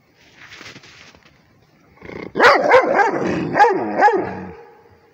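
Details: Rhodesian Ridgeback barking at a tablet: after a faint hiss, a rapid run of four or five loud, harmonically rich barks, then silence.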